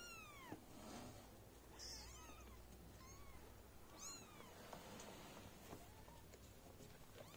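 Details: Newborn litter of four kittens with their golden British mother cat as she cares for them indoors: faint, high, curved mewing calls, several quick rising-falling cries repeated every second or so against soft background hiss.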